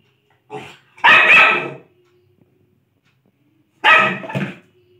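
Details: A Lhasa Apso at play lets out a quick double bark, then falls quiet for about two seconds before a second strong double bark, in a quiet indoor space.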